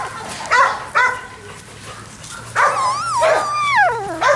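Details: Unhappy Labrador Retriever puppies out on the lawn for the first time, 28 October 2013: two short yelps, then longer high whimpers that rise and bend downward, with a faint low hum behind.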